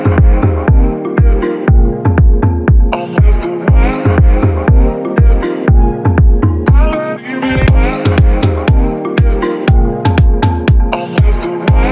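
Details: Electronic dance music with a steady, heavy bass beat repeating about every two seconds and no animal sound.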